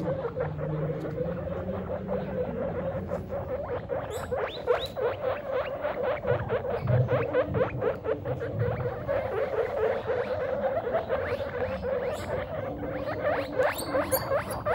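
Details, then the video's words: Pet guinea pig father meeting his babies for the first time, loud squeaks: a dense, continuous run of rapid, short chirping squeaks repeated many times a second, with a steady low hum underneath. "Guinea Pig DAD meets His BABIES For the First Time! (Loud Squeaks)"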